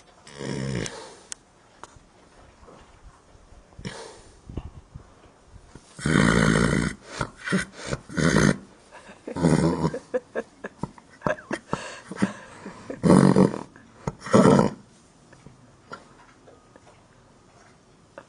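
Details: A sleeping horse in a barn gives loud, rough, irregular snoring bursts and short sharp puffs, bunched in the middle of the recording, then settles back to near silence.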